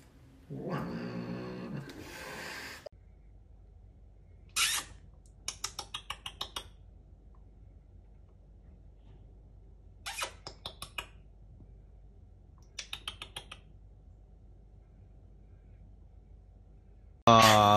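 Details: Aggressive domestic cat in a small room giving short explosive hisses and spitting bursts, spaced out between stretches of near silence, with a strained yowl at the start and a loud noise at the end.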